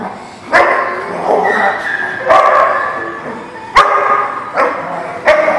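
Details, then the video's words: Dog barking, recorded 14 March 2020; sharp loud barks come roughly every one to one and a half seconds, about six in all, over a continuous murmur of background noise. "The Barking Lot"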